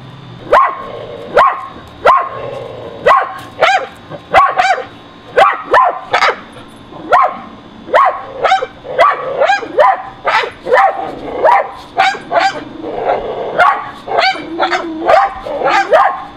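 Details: Backyard pet dogs barking at a squirrel perched on an electrical high wire, June 30, 2011; a long run of loud, repeated barks, roughly two each second, with overlapping voices suggesting more than one dog.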